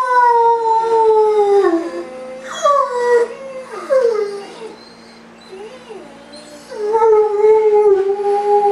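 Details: A Great Dane, left alone while its owner is away, gives long, wavering howls that slide downward, with brief whimpering breaks between them.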